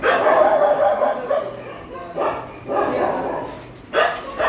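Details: Dog at a shelter during night feeding: a tonal, whine-like sound opens, followed by short, sharp broadband bursts about a second apart, with a person talking over them.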